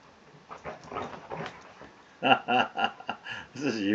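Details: Kodi, a half Rottweiler, half Tibetan Mastiff dog, plays with his blanket "Blankie". After a quieter stretch of a man talking, a series of loud, short, throaty growl-whines comes about four times in under two seconds.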